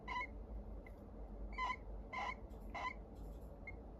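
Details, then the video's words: Sleeping pet hamster snoring: short squeaky wheezes with a clear tonal pitch, several spaced bursts over a few seconds, over a low steady indoor hum. "A hamster's snoring"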